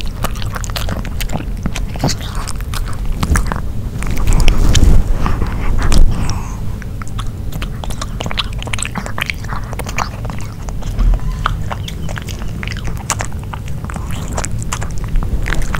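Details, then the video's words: Nino the dog eats a grilled pork pouch indoors. Dense, irregular bites and wet chewing crunch rapidly throughout, with a louder burst of chomping near the middle. No talking. "Piggy Dog Eating Grill Pork (No Talking) ASMR 먹방 EATING SOUNDS"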